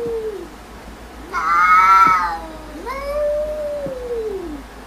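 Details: Domestic cats calling back and forth: a low falling mew, then a loud bright rising-falling meow near the middle, then a long drawn-out wavering meow that rises and slowly falls, over a quiet background hum.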